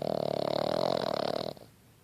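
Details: Sleeping Boston Terrier puppy snoring indoors: one buzzy, rattling, pulsed snore lasting about one and a half seconds, then it stops abruptly and a quiet room follows.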